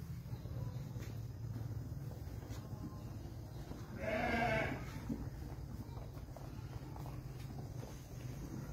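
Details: Young Dorper rams; a single short, wavering bleat rises out of a steady low rumble of background noise near the middle, otherwise only faint hiss and distant rustling.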